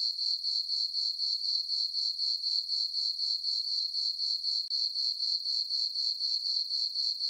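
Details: Summer night chorus of crickets in a moonlit farm meadow: shrill, ringing chirps repeated in a tight regular rhythm, roughly four pulses per second, steady throughout with nothing else audible.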